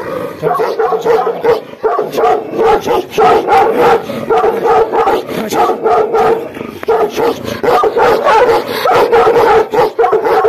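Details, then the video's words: Himalayan Gaddi dogs Billa and Jaiky in an aggressive mood, barking and growling harshly in quick continuous volleys, loud and gravelly, easing briefly near the middle. "भोटिया GADDI DOG, BILLA अग्रेसिव mood, ### jaiky और बिल्ला, का aggressive mood"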